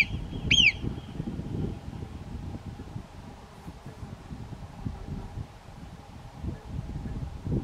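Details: A marmot standing lookout on an overhanging mountain rock near a trail to Bivacco Boerio gives one sharp, high, downward-sliding alarm whistle at a nearby hiker, raptors flying below, over a low rumble of wind.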